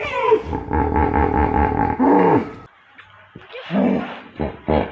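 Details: Hippopotamus call made of fast, buzzing pulses in a brassy, harmonic honk that ends with a falling slide, followed by a pause and several shorter, breathy grunts.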